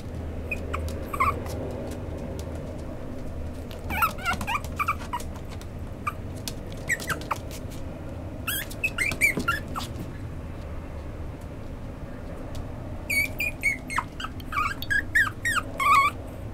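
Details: A fawn-and-white female Chihuahua gives high, thin squeaky whimpers in short bursts over a low steady hum.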